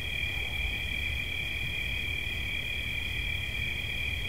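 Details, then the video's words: Brief stretch of steady cricket song: a fast, high, buzzing trill at constant pitch over a low rumbling background, used as relaxing ambience. "Świerszcz. Dźwięki relaksacyjne"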